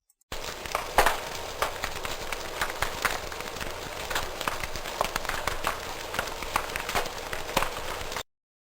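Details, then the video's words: Snapping shrimp near a reef fill the water with a dense, steady crackle of sharp clicks, like frying fat, noise that can reduce acoustic receiver detection range. "here's a sample recording of a snapping shrimp [Applause]"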